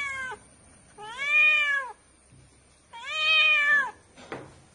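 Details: Two long, drawn-out kitten meows, each rising then falling over about a second, followed by a brief click-like noise, with a steady faint high tone in the background.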